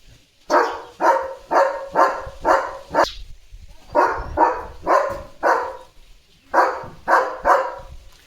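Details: A German Shepherd barks steadily, about two loud, full-throated barks per second in short bursts with brief pauses, on morning yard duty chasing sparrows from a bird feeder on 5 January.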